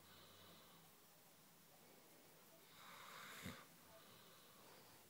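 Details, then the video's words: Daisy, a Ridgeback cross, snores in her sleep while showing her teeth: a soft, low rumble at first, then one breathy, rasping snore that swells near the third second and fades, in a quiet indoor setting. "Ridgeback Cross Daisy Snoring"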